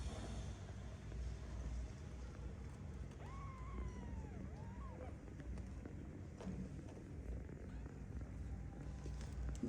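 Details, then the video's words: Cat meowing: one drawn-out, tonal meow that rises and then falls, followed by a shorter second meow, over a steady low engine-like rumble and background noise. "বিলাই মেউ করে"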